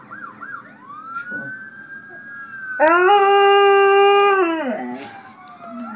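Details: Alaskan Malamute named Wiley howling along to sirens: a wailing siren sweeps up and down at first, then a loud, steady, drawn-out howl holds for about two seconds before sliding down, the siren continuing faintly behind.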